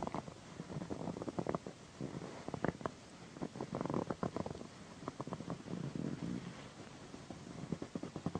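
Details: Pandy, a female pet cat, purring loudly while being massaged indoors beside a satin pillow; a low, throbbing purr rises and falls in steady pulses, with soft rustling of fabric and hands throughout.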